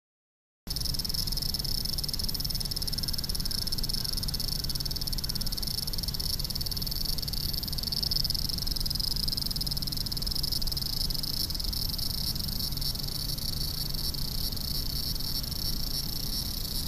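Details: Cicada singing in a big city: a steady, unbroken high-pitched hiss in two bright bands, holding constant throughout over a low rumble of city traffic.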